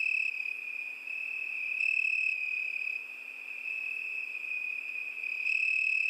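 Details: Crickets singing on a summer night: a steady high-pitched trilling drone that swells and fades slightly every couple of seconds, with a fainter higher overtone band and no other sounds.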